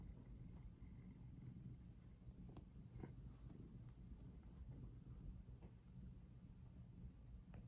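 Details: Purring pet cat heard very near the camera while sprawled in a twisted posture; a deep continuous rumble with brief soft crackles and clicks, possibly from shifting or licking.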